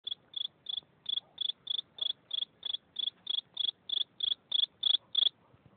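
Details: Single cricket chirping: sixteen short, pure, high-pitched pulses at an even pace of about three per second, each a brief trilled burst, over a quiet background.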